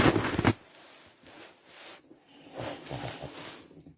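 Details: An 11-year-old Shih Tzu with breathing issues breathes with a harsh, rattling snort, like snoring though the dog is awake.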